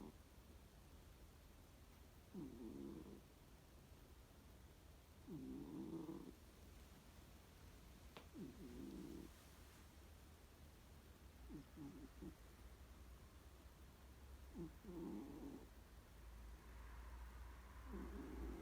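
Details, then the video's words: Domestic cat snoring while asleep: low, rough, buzzy snores recur roughly every three seconds, each lasting about a second, with a faint hum and a single sharp click between breaths in a quiet room. "えーっ？！ いびき💤？"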